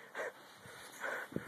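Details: A female Border Collie, stuck on a slope during an outdoor search for dusky grouse, gives two short, high whining whimpers about a second apart, ending in a brief yip, while a man calls her up.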